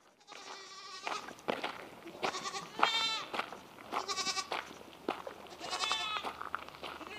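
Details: French Alpine baby goats being given their bottles, calling in a series of clear, wavering, harmonic bleats, some rising then falling. Soft rustles and clicks come between the calls.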